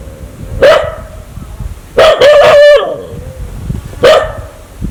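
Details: Aggressive dog that wants to bite people gives loud, harsh barks, one near the start, a rapid rasping burst around the middle and another near the end, with quiet background between them.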